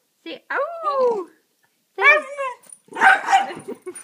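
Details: Happy pet dog "talking" indoors, a sound it makes when especially happy: three bursts of howl-like, falling, whiny vocalizations with bright harmonics, the last rougher and noisier, with short pauses between.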